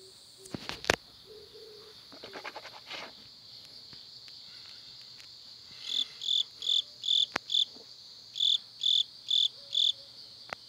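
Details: A cricket in the backyard of a hometown house gives bright, high chirps in quick even pulses over a steady insect hum, with a toad also heard.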